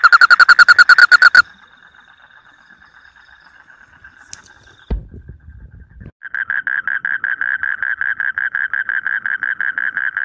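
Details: Paddy-field frog with a short burst of rapid clicks, a quiet stretch with a faint thump, then a renewed, softer train of regular pulsed clicks at a steady pace.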